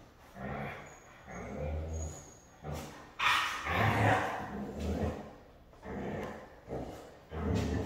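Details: A Siberian husky said to be hard to train vocalizes in a series of short, throaty growls and grumbles, each lasting about half a second to a second, separated by quiet gaps, with one louder, harsher outburst midway.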